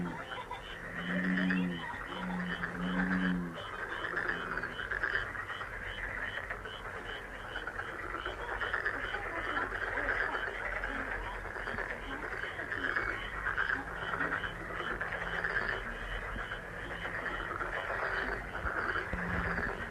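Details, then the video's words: A long, steady frog chorus of dense pulsing croaks, with a few low, soft cooing notes repeated at the start and occasional faint low tones later. "행운 개구리소리 The sound of a lucky frog"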